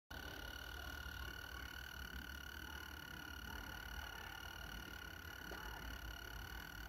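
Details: Mole cricket singing a steady, unbroken tone that holds level for the whole stretch, with a stack of evenly spaced overtones above it and a low rumble underneath.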